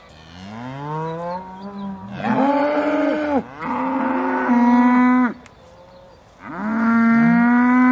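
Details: Dairy cows of the Aussie Red breed at Beaulands before milking, December 2012, giving overlapping drawn-out moos, loud and richly harmonic, one after another with a brief pause before the last.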